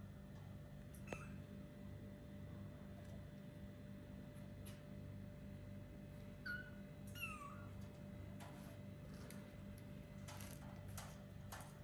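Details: Kittens of four weeks, starting to play and explore, let out a few brief, high squeaky mews, two close together near the middle, amid tapping, rustling and a steady low hum.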